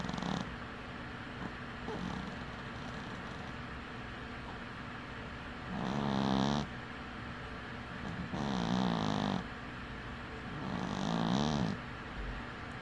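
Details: Sleeping with one eye open, the dwarf cat Winky breathes softly at first, then gives three snores about two and a half seconds apart. Each is a low, rattling drone with a slightly warbling pitch.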